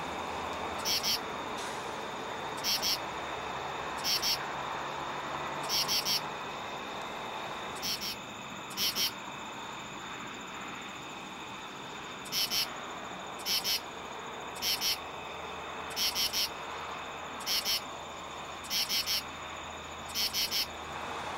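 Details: Male common true katydid (Pterophylla camellifolia) calling at night from a tree at a highway exit ramp to attract females: harsh, raspy two- and three-pulse phrases repeated about every second and a half.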